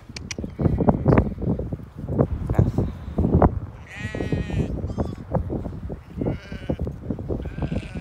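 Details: Fetching a ewe and lamb: several short, shaky bleats break out among constant voices, clatter and movement, the clearest one midway and fainter ones after it.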